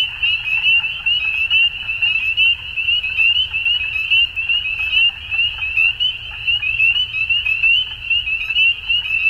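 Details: Frogs calling at dusk in a dense chorus: a steady, shrill high-pitched band of overlapping trilled notes, with pulses swelling and fading roughly once a second and fainter clicks above, over a low rumble.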